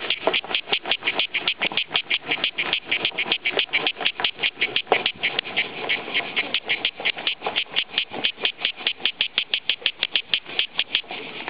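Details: Steady cicada song: a long train of evenly spaced, rasping buzz pulses, about five each second, sharp and bright, continuing for the whole stretch with no other clear sounds.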